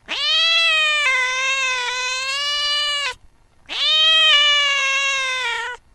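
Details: A cat chasing a mouse in the late night utters two long, steady, wailing meows, the first about three seconds long, the second slightly shorter, with a brief pause between.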